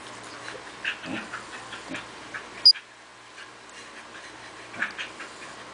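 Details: Two Corgis, Toki and Toby, playing tug of war; Toki pants hard while Toby snorts. Short breathy bursts and soft snuffles recur irregularly, with one sharp click near the middle and a quieter stretch afterward.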